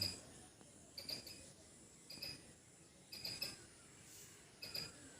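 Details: A squirrel in a backyard gives short, sharp, high chirps, singly or in quick pairs, about once a second.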